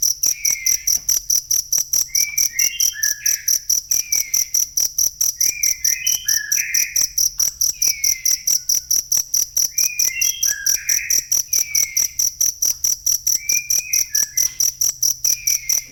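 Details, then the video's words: Steady, rapid cricket chirping, a real recording meant for tutoring cage songbirds. Shrill pulses repeat evenly throughout, while soft warbled bird phrases recur every few seconds behind them. "ASLI SUARA JANGKRIK"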